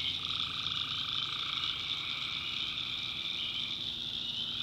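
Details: Tree frogs at night in North Carolina swamp woods, a thick wall of high trilling calls holding steady, with a lower trill dropping out near the end.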